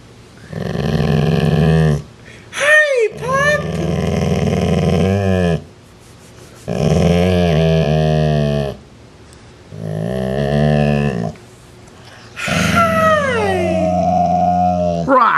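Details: Part-Rottweiler dog repeatedly growling at a sibling in a small room, trying to dominate it; five rough, low, buzzing growl bouts of one to three seconds each, with a person's voice rising and falling between them.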